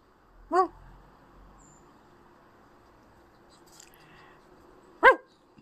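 A Boston Terrier gives two short, sharp barks about four seconds apart.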